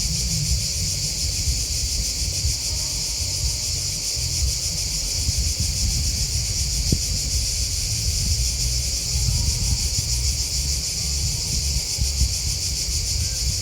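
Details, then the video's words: Many crickets keep up an even, shimmering chirp high in pitch throughout, with a steady deep rumble underneath and an occasional faint click. "Crickets Chirping Sound"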